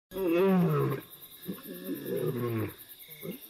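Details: A nomad-threatened lioness with a broken leg, newly having given birth and separated from her pride, gives one deep, moaning call with a rich harmonic tone, calling for her pride, followed by a man speaking.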